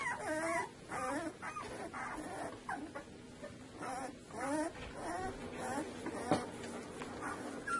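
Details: Two-week-old Saluki litter whimpering over a steady hiss; soft wavering, warbling cries come in short bursts one after another, with rustling and a sharp knock near the end.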